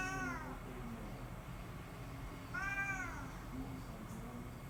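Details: A cat appealing for something: a brief meow at the start, then a longer arched, slightly falling meow about two and a half seconds later, over low indoor hum.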